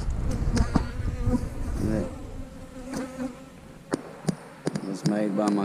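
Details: Low drone of honey bees around backyard hives being split, partly covered by frequent clicks, knocks and short bursts of a man talking.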